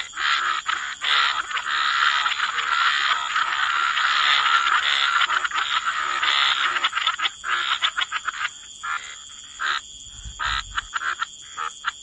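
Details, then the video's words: Frogs croaking together by the waterside in wetlands, a dense chorus of overlapping raspy croaks that runs almost continuously, then breaks into shorter separate bursts toward the end, with a steady high whine above. "Frog Lullaby: Relax to the Sound of Croaking Frogs"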